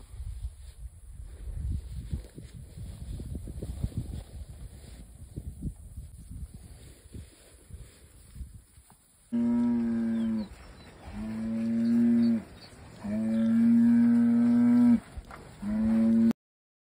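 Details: Red Angus bred heifers from a single Kansas ranch: after several seconds of wind and low rumble, loud drawn-out lowing moos sound, three long calls in a row with brief gaps between them.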